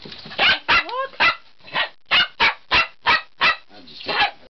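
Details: Male Bichon Frise barking because he wants to go out: about nine sharp, high barks in an uneven rapid series, with a brief rising whine near the start.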